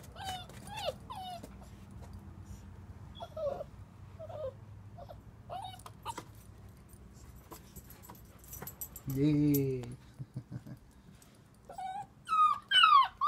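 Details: German Shepherd puppy called Shadow, a month and a half old, giving high, thin whimpers and short yips that slide downward in pitch, scattered across the recording, with a brief human voice partway through.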